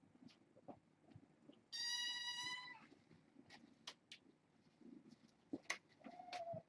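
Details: Foster kittens, four females and two males born August 29th, at bedtime with a man sitting among them; one high, harmonic-rich kitten meow lasting about a second, surrounded by soft rustling and clicks in a quiet room.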